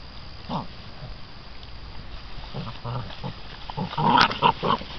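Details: American Bandog Mastiff puppies, six weeks old, go after a chicken tied to a string in a temperament test of prey drive and bite style; brief harsh growling bursts at the start and near the end, with rustling between.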